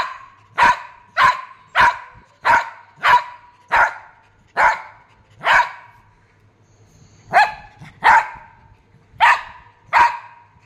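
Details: Shih Tzu dog giving a run of sharp, bright barks, about fifteen in ten seconds, evenly paced at first, then a short pause before a second burst of quick barks; close and clean.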